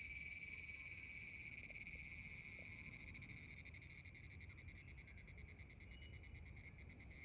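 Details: Male cicadas in summer making loud buzzing, a continuous high-pitched metallic drone that pulses quickly and evenly, strongest at the start and slightly fading toward the end.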